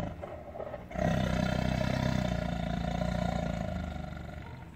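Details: Tiger kept in a cage, angry: after a quiet first second, a deep sustained rumbling roar with strong low harmonics starts and holds steady, slowly fading toward the end.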